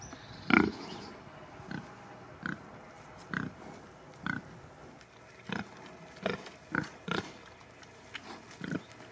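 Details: Domestic pigs of the Sattelschwein or Bentheimer Landschwein breeds on a farm, giving short low grunts about every second, spread across nine seconds, with a steady faint hum in the background.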